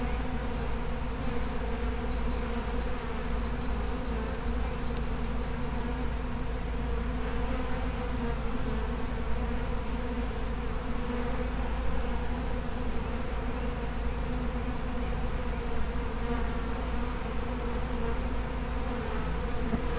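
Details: Continuous hum from a feral honey bee colony: a dense, even buzz of many bees holding a low droning pitch for the whole stretch, without pauses or other voices.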